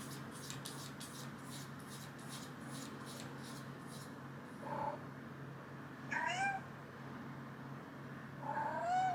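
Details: Female American Shorthair cat born 2015, indoors, meowing to have a door opened because she wants food; three short separate meows with bent, wavering harmonics, after a first part of rhythmic rustling taps.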